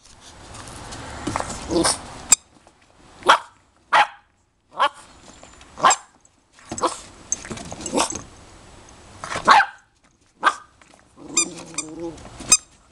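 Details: Puppies heard in a series of short, broad yelping barks and whimpers, bursts spaced irregularly about once a second with quiet gaps, some louder sharp yelps near the middle and a grumbling growl-like sound at the end.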